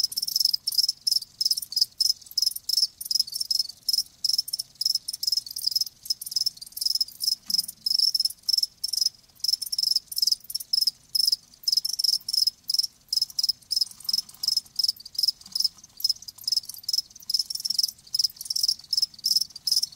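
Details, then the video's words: Continuous chorus of live crickets, shrill high pulses packed into rapid bursts that run on without pause across the whole stretch, with a faint low background murmur. "Live Crickets 60min "Natural Sound""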